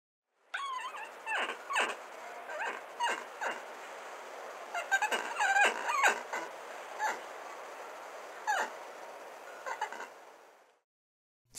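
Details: Spider monkey at a zoo giving a rapid series of sharp squeaks and chirps, about two a second and irregularly spaced, over a steady hissing background.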